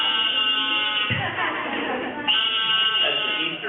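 An Eastern narrow-mouthed toad gives a long, nasal, buzzing bleat, like an upset baby's cry.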